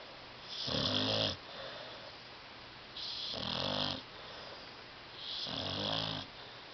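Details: Tyson the dog, asleep on a love seat, snores three times at steady two-second intervals; each inhale is a short guttural rattle with a hoarse hiss, with softer breathing between.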